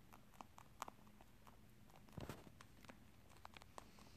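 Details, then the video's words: Indoor pet rabbit munching corn and rice snacks; scattered crisp crunches and clicks, with a louder rustling thump midway and faint room hum underneath. "토끼의 옥수수&쌀과자 먹는 소리/The sound of Rabbit eat Corn&Rice snacks"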